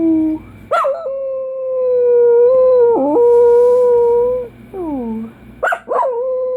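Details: A Dachshund gives a long, steady howl held for several seconds. It dips briefly in the middle, then ends with sliding, falling notes and a few sharp yips.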